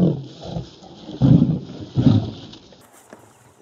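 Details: Male lion in Kruger National Park, South Africa, biting a lioness on her rear to entice her to mate. Deep, rough growls come in bursts, the two loudest about a second apart, then fade to quiet.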